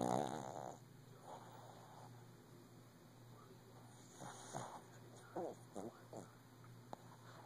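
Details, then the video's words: A Shih Tzu lying down early in the morning snores loudly with soft, rough, rasping breaths, over a steady low electrical hum. "Snoring shih tzu"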